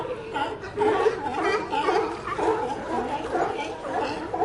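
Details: Several sea lions call over one another in a dense chorus of wavering, throaty moans and grunts that rise and fall, with no pauses between voices.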